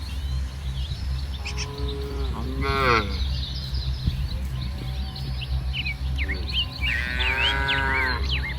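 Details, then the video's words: A herd of tame cattle roaming a muddy rice field and eating grass on a sunny morning; a short moo and a strained bellow early, then a longer moo near the end, with scattered bird chirps and steady low hum. "Suara Sapi Moo"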